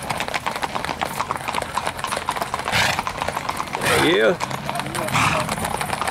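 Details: Tennessee Walking Horse on an old-school Sunday trail ride in Shiloh, Texas; a short wavering whinny with stacked rising-and-falling tones rises briefly over steady clip-clopping hooves and people talking.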